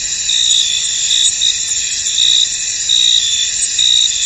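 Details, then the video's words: Chorus of crickets in a foggy field: continuous shrill high trilling with louder pulsed chirps returning about once per second, many insects calling together, nothing else audible. "Tranquil Cricket Sounds In An Misty Field"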